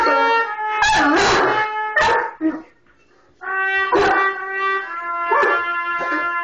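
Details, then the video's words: Bentley the Mastiff howls along with a trumpet playing Over the Rainbow; long wavering harmonic howls rise and fall, mixed with bright sustained trumpet notes, broken by short pauses. "Bentley the Mastiff Trumpet 2 Over the Rainbow"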